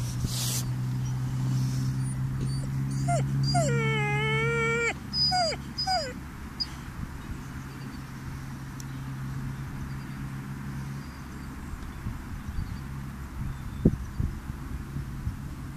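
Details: Seven-month-old Chocolate Labrador puppy crying at a graveyard outdoors: a few short whines, then a long sustained high whimper held for about two seconds, followed by two brief whines, with low rumbling background hum and faint rustling.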